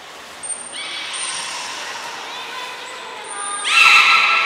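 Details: Belugas Gray, Nana and Mirai in a training session at Port of Nagoya Public Aquarium on 6 August 2023; thin steady high whistles alongside harmonic squealing tones that swell into a louder, bright burst near the end.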